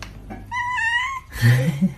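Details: Kitten gives one drawn-out, slightly wavering meow of under a second, followed by thumps and bumping noises in a small room.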